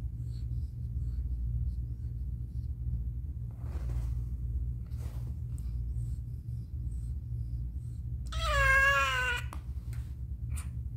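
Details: Mother cat meowing while giving birth indoors in a difficult delivery, one kitten born with a foot disability: after long quiet stretches of low hum and faint rustles comes a single wavering, drawn-out meow lasting about a second.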